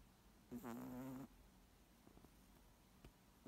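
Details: Moose snoring, one drawn-out nasal buzzing breath lasting under a second, then quiet with faint clicks, the next breath just beginning.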